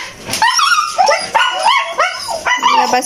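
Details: Siberian Husky, one of three kept as household pets, vocalizing during an everyday morning routine while playing: a run of five whining, rising-and-falling yodel-like calls about every half second, with faint voices in the background.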